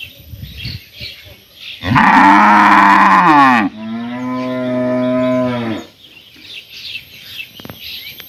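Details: A cow in a village in summer gives two long, loud moos, the first harsh and strained, the second lower and steadier.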